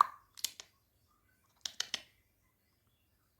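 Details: A few sharp plopping clicks in two short clusters in a quiet room, with no animal voice.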